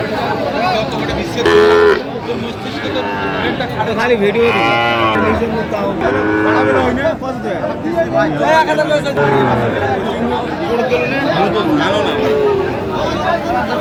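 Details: Sahiwal bull calves at a busy cattle market, bought by a Dhaka farmer on 29 November 2025; several drawn-out, arching moos rise above constant crowd chatter and bargaining voices.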